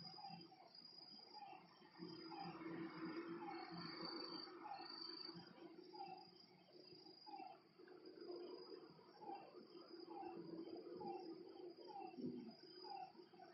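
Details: Night frog chorus by a lake: brief falling notes repeat every second or so beneath a constant high insect buzz, with a soft mid-pitched drone running throughout.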